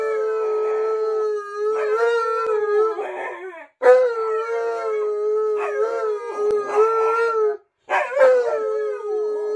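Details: Indoor howling from Tonka the Alaskan Malamute, who will not leave its owner alone in the bathroom: a series of sustained even-pitched howls with roughly voiced breaks, interrupted by two short pauses near four and eight seconds.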